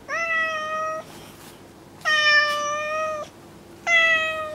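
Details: Pet cat Kuri, unsettled by fellow cat Kinako's fixed glare, seeks comfort from her human indoors; three loud, sustained, level meows about one second each, evenly spaced with quiet gaps.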